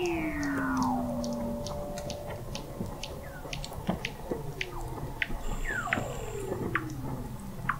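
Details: Weddell seals beneath the sea ice of McMurdo Sound, Antarctica, recorded November 2017 at 21 m depth: falling whistles and a long descending tone over rapid high ticking clicks and a dense low rumble.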